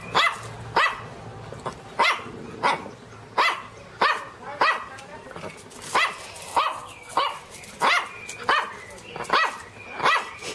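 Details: Teco the Pinscher letting out sharp, high-pitched barks repeated steadily, roughly one every three-quarters of a second, each bark short and bright.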